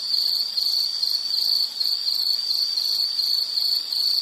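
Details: Continuous high-pitched insect chirps, roughly ten evenly spaced pulses in four seconds, forming a ringing trill with one brief dip in loudness near the middle.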